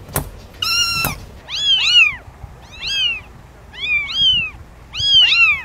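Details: Kitten giving a run of high, bright meows, each rising then falling in a short arch, repeated about once a second after a brief harsher opening call.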